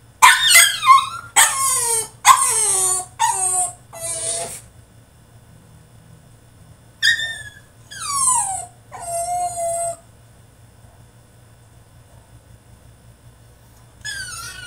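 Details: French Bulldog throwing a tantrum in his cage fires off a rapid burst of shrill yelps falling in pitch, pauses, then adds a few more drawn-out whines before going quiet.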